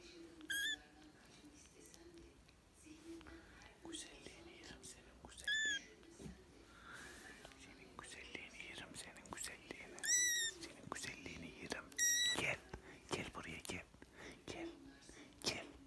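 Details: British and Scottish kittens at play give several short, high, thin mews scattered through the recording, some rising then falling, with whispering, rustling and handling noise between them.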